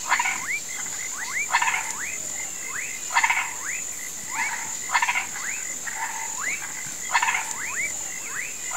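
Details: Toads and frogs croaking in a swamp at sunset, said to be calling for rain: short upward-sweeping twangy notes repeat irregularly, several callers overlapping, over a steady high insect whine and bursts of broadband chatter.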